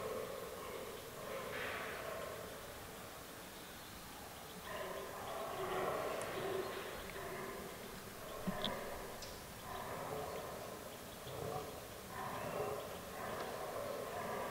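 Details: Rutting fallow bucks in an autumn forest, in a herd with albino and melanistic deer: scattered hoarse, burping grunts in irregular groups, with a couple of sharp clicks and rustles between them.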